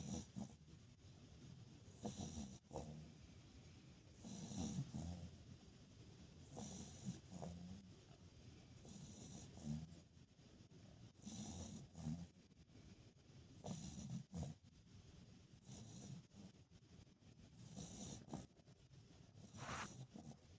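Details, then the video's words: Sleeping puppy snoring, soft low rasping breaths about every two to three seconds, uneven in rhythm, quiet and close with light background hiss. "snoring puppy!"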